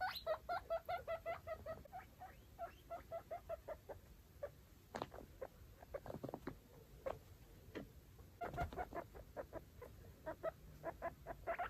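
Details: Guinea pigs, five foster babies and their mother, exploring a clean cage; quick series of short squeaky chirps, interrupted by rustling and clattering bedding noises, then more chirps resuming.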